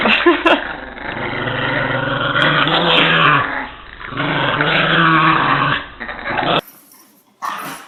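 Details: Pet dog growling during a playful tug of war indoors: a continuous low rumbling growl with rough, rising and falling surges for about six seconds, then a brief near-silent gap and a short scrape of noise.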